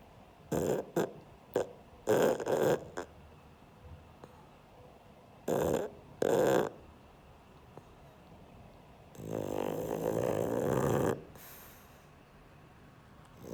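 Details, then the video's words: Pug Sheldon asleep, making a run of short snorting snuffles in irregular bursts, then one longer, rougher rattling snore of about two seconds, with quiet breathing between. "Мопс Шелдон храпит"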